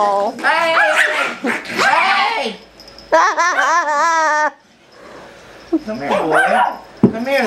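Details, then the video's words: Two pet Chihuahuas, Mike and Caner, playing and then attacking; loud harmonic yelping and snarling bursts, one long wavering whine-like cry in the middle, with a person shouting over the scuffle. "When Chihuahuas Attack"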